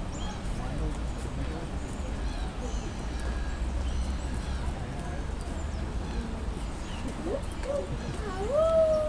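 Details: African wild hunting dogs at London Zoo, playing and mating: soft scattered chatter, then sharp rising whining yelps near the end, over steady background talk of zoo visitors.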